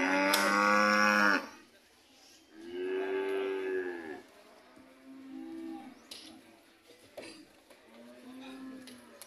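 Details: Red cattle coming home, a sharp loud moo at the start, then several softer arched moos spaced a couple of seconds apart, fading lower toward the end.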